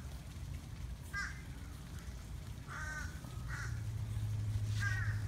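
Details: Male turtle mating at Flamingo Gardens in Davie, Broward County, Florida, giving strange short harmonic squawks, four bursts spaced irregularly about a second apart over a steady low rumble.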